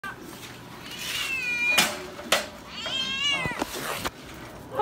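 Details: Stray cats being fed outdoors, giving two drawn-out, rising and falling meows with bright harmonics, a sharp click or tap between them, over quiet background noise.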